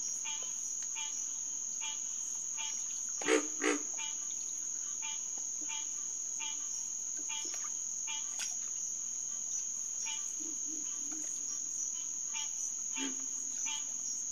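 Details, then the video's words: Night chorus of green tree frogs (Hyla cinerea) at a refuge pond, June 2, 2021. Evenly spaced nasal honks sound over a high insect buzz. Two louder low thumps come early, and a few soft low grunts come later. "Green Tree Frog Chorus"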